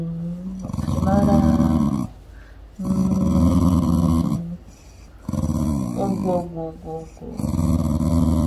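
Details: Mandoo, a pet dog, fusses and acts spoiled while unwell, having refused food until afternoon; long, wavering, moaning whines come in three drawn-out bursts of one to two seconds, separated by short pauses, indoors.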